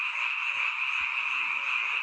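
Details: Frogs calling at night in a mountain village, a seasonal chorus heard only at this time of year; dense continuous croaking forms a steady wall of sound, with a couple of faint low thumps.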